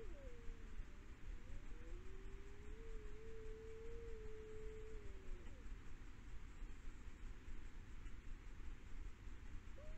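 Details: Iberian wolf howling in Galicia, Spain; howls keep the pack together physically. A short falling note leads into one long, smooth, faint howl held at a steady pitch for about four seconds. A brief rising note closes the clip over a constant low rumble.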